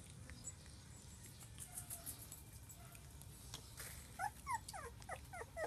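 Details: New Border Collie puppies playing: quick high yips and whimpers burst out in a tight cluster near the end, each a short bent squeak, after a stretch of soft background rustle.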